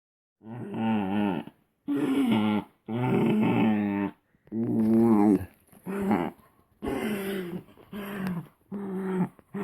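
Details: Shetland Sheepdog making a funny noise while feeling pleasure: a series of drawn-out, groaning, moaning vocal bursts, each about one second long with wavering pitch, repeated with short pauses, indoors.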